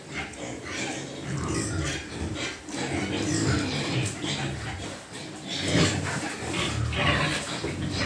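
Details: Pigs at a pig farm grunting and squealing in harsh, broadband bursts, with a loud squeal near six seconds and low grunts between, mixed with some human speech and farm noise.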